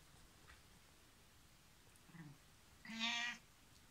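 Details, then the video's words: A 15-year-old female cat asking to have a door opened gives one short, bright meow near the end after quiet room noise and a faint earlier murmur. "My cat asks to open the door"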